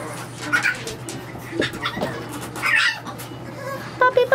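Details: French Bulldog puppies at play in their nursery make scattered high squeaks and short yelps, with a thin whine near the close, against a low steady hum and faint background noise.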